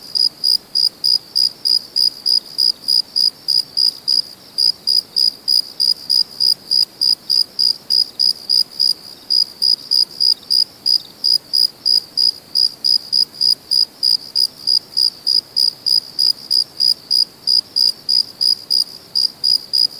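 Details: Steady nocturnal cricket song, high ringing chirps repeating rapidly about three per second for the whole stretch, with only brief gaps, over a soft hiss and no other sounds.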